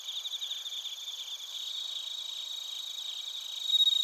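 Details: Bell crickets and other crickets chirping in Narita, Chiba Prefecture, Japan, captured on a TASCAM Portacapture X8: several high, ringing, steady trills stack together, with a pulsing shimmer and one bright tone swelling louder near the end.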